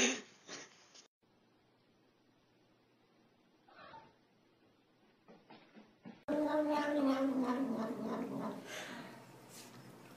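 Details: Domestic cat giving a long, drawn-out wavering yowl with rich harmonics that slowly falls in pitch, following a quiet stretch with faint clicks and rustles indoors.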